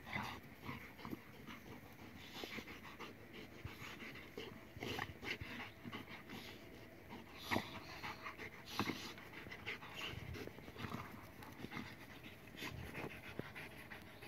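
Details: German Shepherd and pitbull playing together, breathing in quick irregular panting bursts with soft scuffles and thumps of play throughout; faint background hiss.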